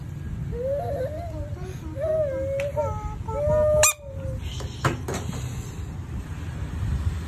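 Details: Bullfrog screaming: a series of wavering, nasal, mid-pitched cries, each under a second long, followed by clattering knocks and background noise.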